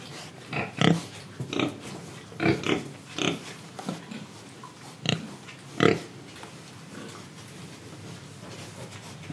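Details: Pig in Indonesia giving a run of short, broad grunting oinks, about a dozen spaced irregularly across nine seconds, some louder and harsher than others, over a low background hum.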